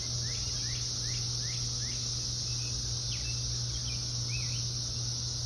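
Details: Loud Brood X periodical cicadas during the June 2021 emergence in Ohio: a steady, dense, high-pitched buzzing chorus that never lets up, with brief bird chirps over it and a low constant hum beneath.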